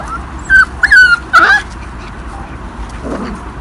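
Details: Airedale Terrier puppies from a kennel litter born 9 April 2017, recorded 17 May 2017: three short high whimpering yips in quick succession, tonal and slightly falling, over a low steady background hum.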